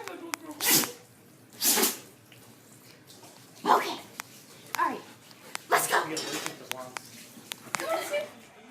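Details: Pet dogs sneezing: sharp, explosive bursts of broad noise come at irregular intervals of one to two seconds, about four in total, with a person talking and asking about a walk between them.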